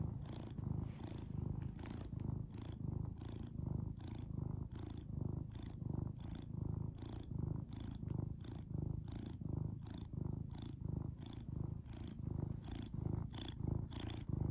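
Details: Domestic cat purring steadily at close range: a low, rhythmic rumbling made of evenly pulsed throbs, slightly over one per second, continuing without pause and with no other sounds.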